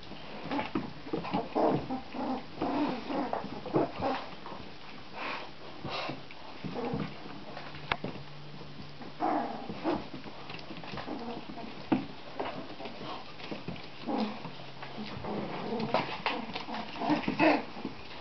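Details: Seven three-week-old border collie puppies play indoors, giving scattered high squeaky yips and whimpers over soft scuffling and a low steady hum.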